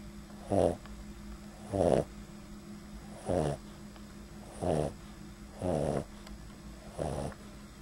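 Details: Boston Terrier dog asleep and snoring lightly, recorded in extreme close-up at the nostrils; six breathy, rasping snores at irregular intervals of roughly one to one and a half seconds, with a steady low hum in the background.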